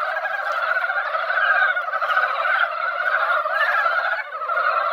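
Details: Many mountain frogs singing together at a small mountain pond after a brief light rain, a continuous churning mass of rough, rattling calls at an even loudness.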